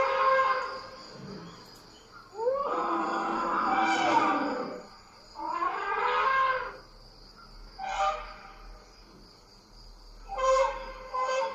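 An African elephant trumpets in loud, brassy blasts, several in a row with short pauses between.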